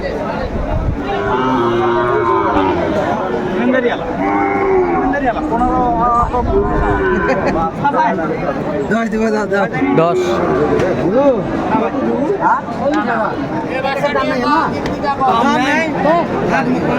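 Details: Crowded cattle market in Kurigram, Bangladesh, July 2024, with Sahiwal bull calves on sale: a dense chorus of repeated moos, some short and some long and wavering, mixed with continuous chatter of buyers and sellers.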